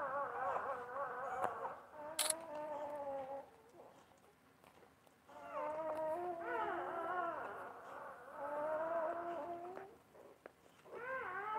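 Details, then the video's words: Basset Hound mother caring for newborn puppies; soft, thin whimpers, then a longer run of wavering, sliding whines, over a faint background hiss. "Basset Hound tends to her new born babies"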